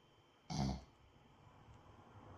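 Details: A sleeping Boston Terrier gives one deep, rattling snore, a short throaty snort that fades into quiet breathing.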